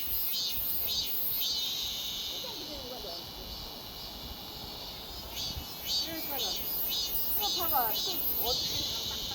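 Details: Cicada droning in a steady high-pitched buzz with pulsing surges throughout, while people talk in the background.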